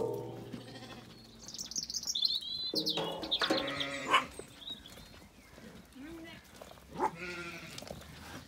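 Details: Zwartbles sheep on a farm in County Kilkenny, Ireland, settling in at sunset after feeding while a lamb calls and a ewe replies. Scattered shaky bleats rise and fade over a busy background, with high bird notes near the start.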